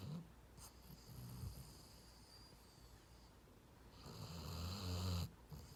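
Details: A sleeping dog snoring: soft, low rumbling breaths, the first faint and the second louder and more rasping near the end, over a steady background hiss.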